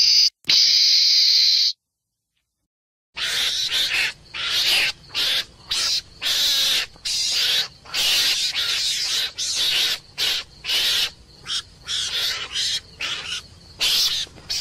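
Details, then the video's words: Meerkat, a small mongoose, giving harsh, hissing screams. A brief thin tonal note and a pause open the sequence, then a long series of rasping bursts follow, each under a second, separated by short silences. "Meerkats Scream"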